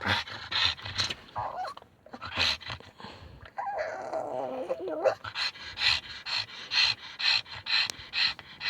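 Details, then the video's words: Pug excited to be home; rapid breathy panting with short whines and a wavering squeal in the middle, a person speaking early on. "Pug making funny noises"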